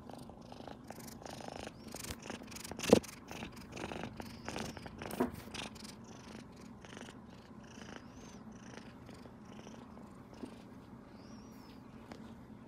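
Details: Kitten Rino, a domestic cat, purring nonstop with joy while petted by its owner beside its tabby sisters Riri and Rimu indoors; a soft steady low purr under a few sharp knocks and rustles, with faint speech nearby.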